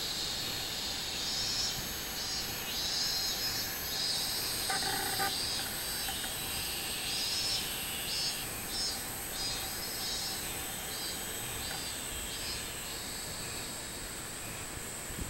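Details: Robust cicada song from 24 July 2016: an unbroken high buzzing drone pulsing in regular waves, interrupted near the fifth second by a short mid-pitched chirping sound.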